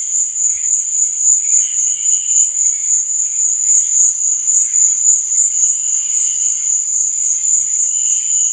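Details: Nighttime crickets chirping, used as relaxation and sleep ambience; a sustained shrill trill pulsing about three to four times per second, with weaker, lower chirp bursts scattered through it.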